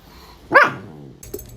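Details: German Shepherd puppy giving one short, sharp bark, followed by quiet room noise and a faint brief sound near the end.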